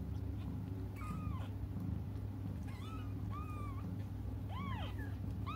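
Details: Cats crying as they wait for their mother, giving a series of clear arched mews, one every second or so, some rising then falling, against a constant low droning hum.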